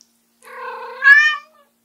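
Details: Ram, a white short-legged prick-eared female Munchkin cat born 2014, meowing loudly indoors to call her owner back after they leave the room; one drawn-out harmonic meow that starts lower and rises into a louder, brighter ending.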